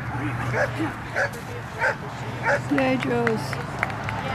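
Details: Josephine, an 11½-year-old Poodle, on a jumpers-with-weaves agility run she won on 3-25-11 for 44 MACH points: sharp, mid-pitched barks repeated roughly every 0.6 seconds, over human voices and a steady low hum.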